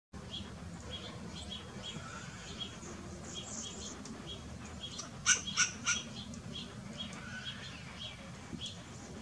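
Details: Western grey squirrel barking: a quick run of three harsh, broadband barks near the end, standing out over steady faint background bird chirps and a low rushing hiss.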